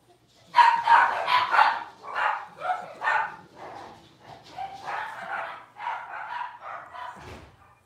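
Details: Six-week-old blenheim Cavalier King Charles Spaniel puppies from a litter of five, kept in a home puppy pen, giving a run of high, yapping barks at roughly three per second that fade toward the end.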